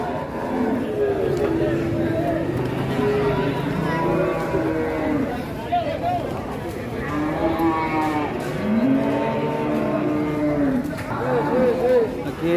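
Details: Limousin cattle, very large jumbo animals unloaded from a truck at Rawas cattle market in early morning; deep drawn-out lowing moos, some wavering and rising, repeated several times, with crowd talk and engine noise around.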